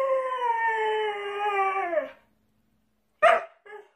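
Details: Pet dog holds a steady howl for two seconds that slides downward at the close, then falls silent before one sharp bark and a short softer yelp.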